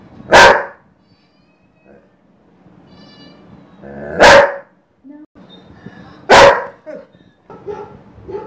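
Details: A Dobermann angrily reacts to cat sounds played by a smart speaker, giving three loud, deep single barks a few seconds apart, with faint cat sounds between them.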